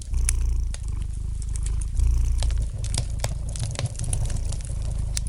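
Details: Cat purr, deep and rhythmic, strengthening on alternating breaths about every two seconds, accompanied by light crackling and popping of a fire burning in the fireplace.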